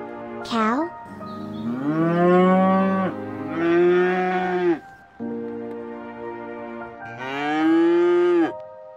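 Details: A cow (Bos taurus) gives four long, deep, droning moos, each lasting one to two seconds, after a brief high squeal at the start.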